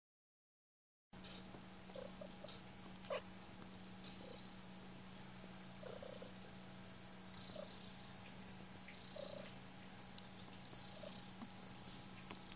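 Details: Kittens with a steady low continuous purr running through the whole recording, quiet, with brief faint soft squeaks scattered over it.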